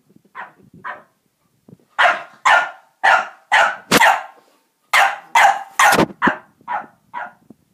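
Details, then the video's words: French bulldog, unsure of a tiger toy, giving a run of bright, clipped barks indoors: two soft yips, then a dozen sharp barks in quick succession, roughly two per second. "French bulldog feeling brave again"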